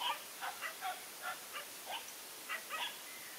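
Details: Large Asian dog awaiting a battle, letting out a string of brief high yips and barks, roughly three per second, each clipped and slightly rising, over faint background hiss.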